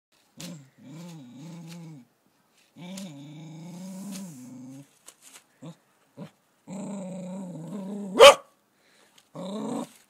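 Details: A female cocker spaniel puppy, scared during her first encounter with a caterpillar one summer, gives wavering, drawn-out growls and whines, then one sharp, loud bark.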